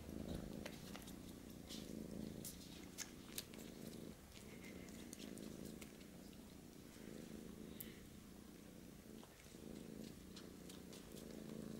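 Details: Purring indoors as a British Shorthair kitten tries to suckle milk from a Siamese male: a continuous low rumbling purr with rhythmic pulses, overlaid by frequent soft clicking and rustling sounds.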